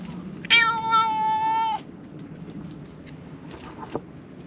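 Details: A black cat in a lakeside park, having climbed onto a fence to ask to be petted, gives one long, steady, tonal meow of just over a second. Quiet outdoor background with faint rustling follows.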